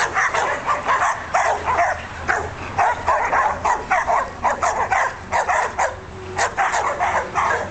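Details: Barking from Australian Shepherds, a dense string of sharp, overlapping barks with occasional higher yips, pausing briefly near the middle before resuming fast, a constant low hum underneath.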